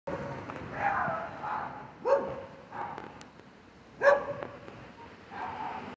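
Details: Street dogs barking: short, hoarse barks and yelps spaced roughly a second apart, a couple of sharper louder yips standing out, against a faint background hum.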